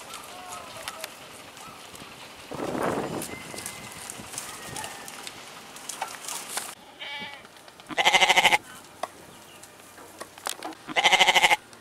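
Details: Goat giving two loud, quavering bleats near the end, each about half a second with a pulsing tremolo, separated by a few seconds; softer rustling and a brief broad noise burst earlier.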